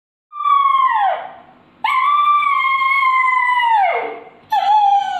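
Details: Hungry puppy whining: a drawn-out, high, wavering cry that falls away at the end, then a longer cry of about two seconds that sags in pitch, and the start of a third.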